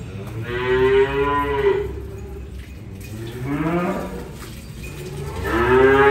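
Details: Cattle being unloaded, mooing in three separate calls: a drawn-out low moo, a shorter rising-then-falling one midway, and a third starting near the end, each rich in stacked harmonics over a faint background hum.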